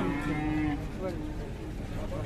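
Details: Cow with a belly full of flies that stirred up local residents, Indonesia; a short, low, steady harmonic moo in the first second, then fading murmur and background noise.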